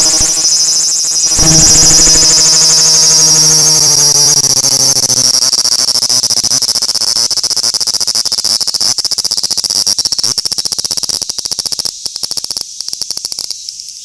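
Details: Graptopsaltria nigrofuscata, the large brown cicada, in song: an intense shrill buzz held high. A low humming tone fades early on, and toward the end the buzz breaks into rapid stuttering pulses.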